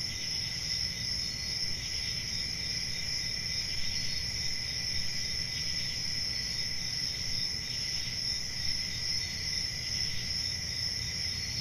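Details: Continuous shrill trilling of many crickets, two steady high tones holding without pause, with a low murmuring background hum.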